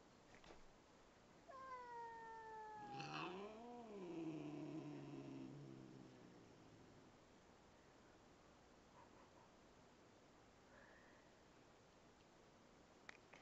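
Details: Domestic cat growling, unhappy about a new kitten in the home; a short descending cry, then a drawn-out, wavering low yowl-growl that rises and falls over about three seconds before fading into quiet room noise.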